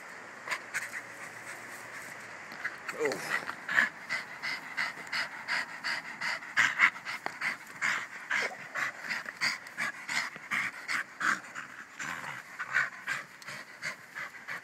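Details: Rhythmic panting from Bruno, a pet Jack staff dog, in quick regular breathy bursts that grow stronger after the first few seconds, with brief human voice near the start.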